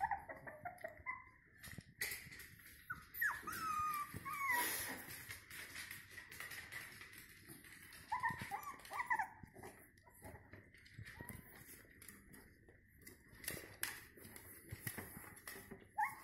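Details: Five-week-old Jack Russell Terrier puppies giving thin, high squealing whimpers in short wavering bursts, clustered early and again midway, between stretches of rustling and handling noise over a steady faint background hum.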